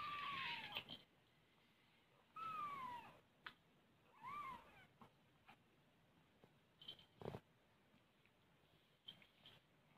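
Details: Mother cat with her kittens indoors: three clear, descending meows in the first half, followed by soft clicks, taps and rustling noises with no further calls.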